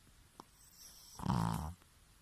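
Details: Pekingese named Bobo, a rescue dog living with a Shih Tzu sister, snoring loudly indoors: one rough, rattling snore of about half a second in a quiet room.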